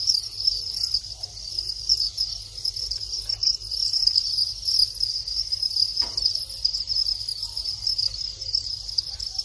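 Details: Thai crickets in their breeding cycle after molting to long wings, males calling as mating begins: a steady, high-pitched, continuous trill with fine pulsing, over a low background hum.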